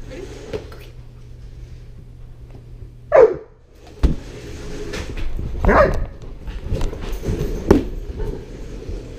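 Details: Great Pyrenees Border Collie mix named Sterling turning one, balloons around, GoPro recording; two sharp, strong barks roughly two and a half seconds apart, followed by softer scattered bursts and knocks, over a constant low hum.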